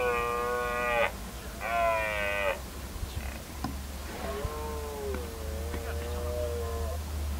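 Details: Deer in mating season: two loud, steady harmonic calls of about a second each, then a longer, quieter, wavering call that dips and levels off, over a constant low hum and faint background noise.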